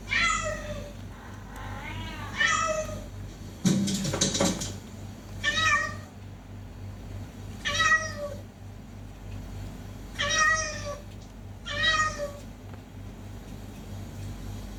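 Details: Fighting cats, one voice repeating bright, rising-falling meows roughly every two to three seconds, with a brief rustling thump early on and a low steady hum beneath.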